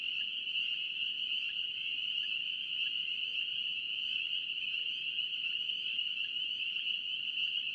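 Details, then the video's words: North Carolina spring peeper chorus: countless overlapping high peeps blend into one unbroken, even ringing tone, with soft background hiss below. "NC Peeper frogs"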